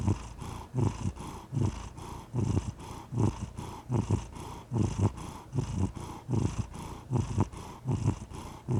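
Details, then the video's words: Relaxed pet cat purring, a low throaty rumble in rhythmic pulses, about one surge per second, each rising and fading with the breath, steady throughout over a quiet background. "The Soothing Sound of a Purring Cat"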